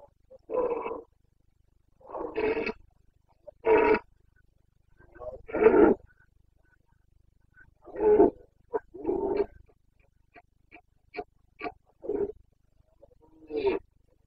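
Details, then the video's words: Boncănit, the rutting roar of a Carpathian red deer stag in the Bucovina mountain forests, 29 September 2022, breeding season: a series of rough, throaty bellows about every one to two seconds, then shorter grunting bursts. "Boncănit / Carpathian stag Breeding season"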